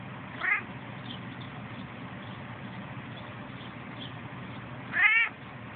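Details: A male domestic cat makes funny noises when his ears are rubbed, two short, high, wavering meow-like cries about four seconds apart.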